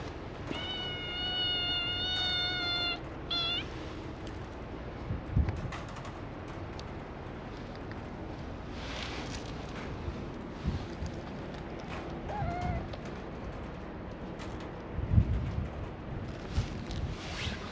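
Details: Calico cat mother and kittens play-fighting on a cat island in Japan as training for wild life: a long sustained meow, a short second cry, then a faint brief mew later amid low outdoor rumble.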